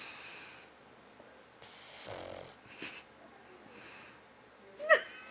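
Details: Pet pug snoring loudly while asleep and almost awake: breathy, wheezy bursts of rasping noise come in several separate breaths, with quiet gaps between them and a sharp short sound near the end.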